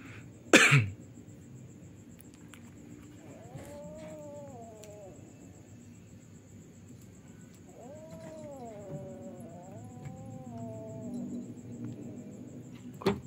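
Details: Young cats fighting on a tiled roof at night: a loud knock, then two bouts of wobbling, rising-and-falling moaned yowls, the second longer and undulating, ending with another bump.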